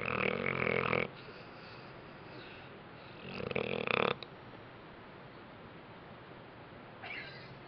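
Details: Bentley the dog napping after a rough day indoors, giving a rasping, throaty snore about a second long, a second snore around three seconds later, then a faint third breath near the end.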